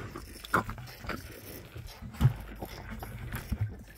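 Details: Baby rhinos at their morning milk feed answer a keeper's voice with short, low huffing grunts spaced a second or two apart, over soft rustling and handling sounds.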